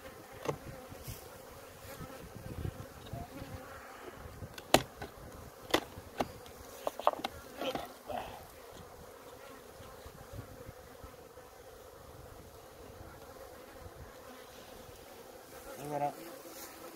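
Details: Honey bees at a hive in Maine-et-Loire, France, licking a droplet; a continuous soft droning hum with scattered sharp taps and knocks in the first half and a short louder buzz near the end.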